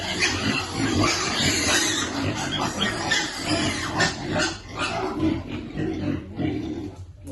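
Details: Piglets waiting to eat as they are fed, giving rough, low grunts about once a second in an uneven run, over a constant hiss of background noise.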